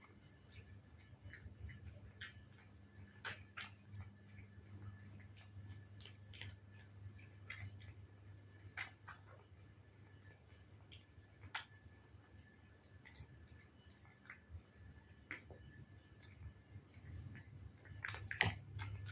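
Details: Domestic cat eating wet food: soft, wet, irregular clicks and smacks of chewing, several per second, over a steady low hum.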